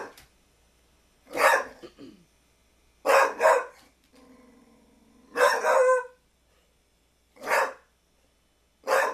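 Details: Pit Bull barking at a basketball: five harsh barks spaced about two seconds apart, some doubled, with a steady tonal hum between the third and fourth barks.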